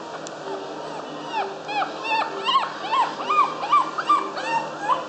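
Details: Long-haired Chihuahua giving a run of short, arched, whiny calls, each rising then falling, repeated roughly two to three times per second and growing louder toward the middle, over a steady indoor hum.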